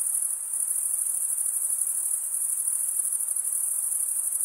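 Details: Crickets stridulate in a constant shrill trill, rapid pulses merging into one high ringing tone, with a faint hiss below and nothing else audible.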